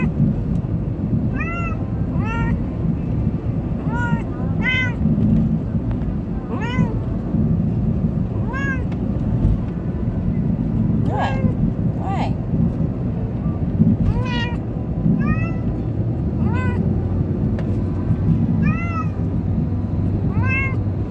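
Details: Munchkin cat riding for the first time, scared or excited, meowing repeatedly, roughly every one to two seconds. There are about thirteen short arched meows against a heavy, rumbling vehicle background.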